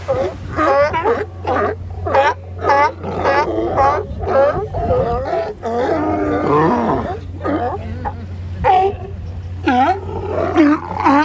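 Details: Sea lions lounging at Kiddie Beach in Oxnard, California, giving a dense chorus of overlapping, wavering, harmonic barks and groans. A steady low hum runs beneath.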